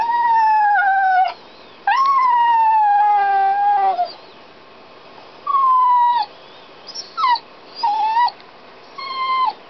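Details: Dog crying while locked inside a canal boat, owners outside doing locks and steering: long, slightly falling howl-like whines, then a pause and shorter, broken cries.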